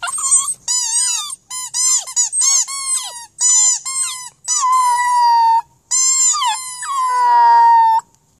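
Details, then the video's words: Border Terrier singing: a quick series of short squeaky yelps that rise and fall, then longer sustained howling notes that sink slightly and hold steady, ending in a drawn-out tone. Nothing else is heard. "Border Terrier Singing"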